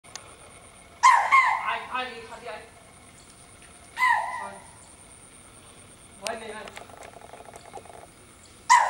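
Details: A pet deer at a zoo gives short, harsh, harmonic bleating calls, separated by pauses of two to three seconds.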